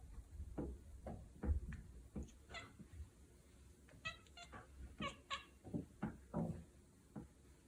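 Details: Domestic cat chattering, the peculiar sound cats make on spotting prey: a run of short, clipped, stuttering bursts spread over about seven seconds, soft and close in a quiet indoor room.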